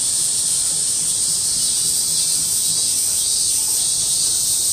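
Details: Cicada chorus in August 2008, many insects together: a continuous, even, high-pitched hissing drone at constant loudness throughout, with no breaks and no other clear sounds.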